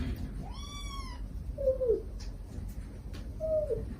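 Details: Mother stray cat calling her kittens while they beg, recorded for use in rescuing a hidden kitten: one high, arching meow followed by two short, low, wavering mews spaced about two seconds apart, with a quiet background.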